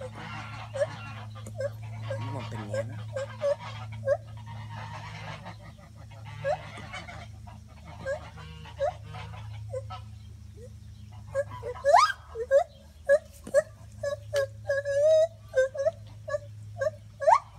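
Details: Gibbons in the trees at a monkey rescue sanctuary give loud, hooting calls that rise into fast, upswept whoops.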